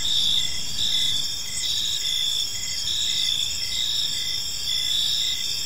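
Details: Crickets chirping in a park on an evening, a dense chorus of high, steady trills with pulsed chirps repeating roughly every half second over a soft low background hiss.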